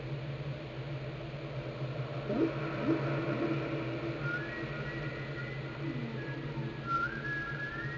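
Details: Whale recorded underwater in Glacier Bay, Alaska, by the National Park Service and NOAA: short low sweeping moans around two and three seconds, then a higher rising whistle-like note near the end, over a steady low droning hum.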